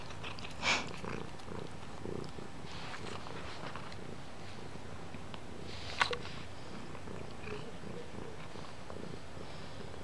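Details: Toothless kitten purring indoors while chewing on things; a soft, steady low rumble runs throughout, broken by a few sharp clicks or bites near the start and at six seconds.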